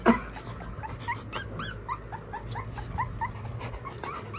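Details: Rottweilers Badal and Bijli with their puppies at home, calm and playful while a friend visits; a quick series of high, thin whimpers, each sliding up then down, several per second, after a short sharp yelp at the start.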